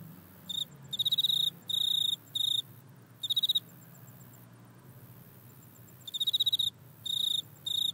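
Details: Back-yard insect recording made with an iPhone, tied to a grasshopper: short, high, rasping chirp bursts in clusters of two to four, broken by a quiet stretch of several seconds mid-clip.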